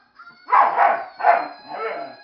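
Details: Pet dog objecting to a Flying Monkey toy; three to four hoarse, clipped barks in quick succession, overlaid by steady high tonal whistling from the toy.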